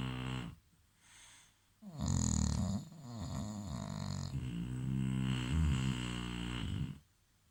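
An English Bulldog snores loudly, each breath a deep, gravelly rumble with a wheezy, rattling edge. The low, fluttering noise rises and falls unevenly over several seconds before a quiet pause.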